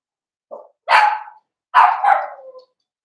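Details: Young blenheim Cavalier King Charles Spaniel puppy from a litter of five in an indoor puppy pen gives a brief soft yip, then two loud, rough, high-pitched barks about a second apart.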